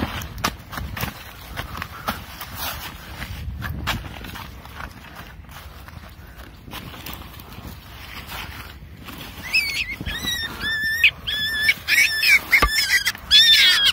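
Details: Baby wild rabbit screaming as it is caught outdoors. After several seconds of rustling and running footsteps, loud, wavering, high-pitched cries burst out in rapid succession, each rich in harmonics, continuing through the final five seconds.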